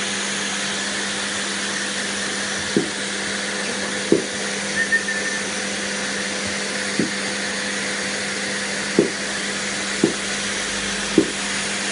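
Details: Loud steady hum like a vacuum or blender with a tonal whine, plus occasional short knocks, and no animal voice.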